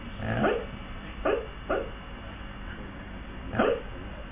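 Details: A male Siberian husky barking in his sleep, probably dreaming, gives soft, muffled woofs, four short bursts spread unevenly over a few seconds.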